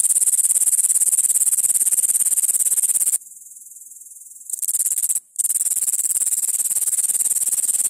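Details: High, hissing grasshopper trill of dense rapid pulses. It falls silent for just over a second, restarts briefly, pauses again for a moment, then continues steadily.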